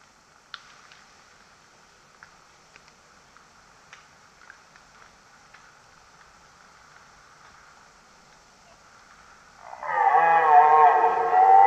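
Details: Red deer bellowing: after nearly ten seconds of quiet ticks and faint patter, a loud harmonic roar breaks in abruptly and holds strong, wavering slightly, until the end.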